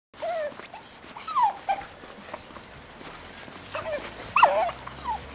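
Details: Dog vocalizing with joy while out on a walk: a few high, tonal whining yips that rise and fall, with short pauses between them and a grainy outdoor background.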